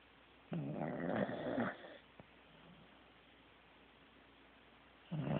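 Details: Pet Corgi snoring in sleep; a loud gravelly, rattling snore lasting over a second, then quiet breathing and a fresh snore starting at the end.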